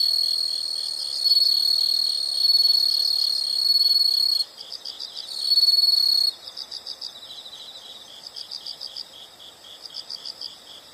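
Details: Several insects sound together in a nature recording: a loud continuous high buzzing trill in bursts, then rapid pulsed chirps repeating about four times a second after it breaks off.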